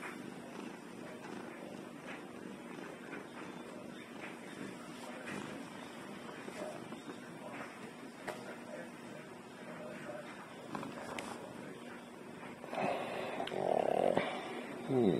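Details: Domestic cat, back home after catching at least two mice earlier in the day, purring steadily with a soft, fast, rumbling texture; louder rustling and a brief voice-like sound rise near the end.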